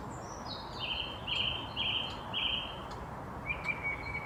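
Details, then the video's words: Squirrel with hiccups after a fright: a row of four sharp, high, clipped squeaks about half a second apart, then a brief flat chirp, over constant outdoor noise and distant bird twittering. "Squirrel gets hiccups from freaking out on me"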